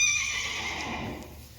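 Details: Friesian horse from a herd, whinnying with a loud, high, strained tone that trails off and fades over under two seconds; a faint low hum underneath.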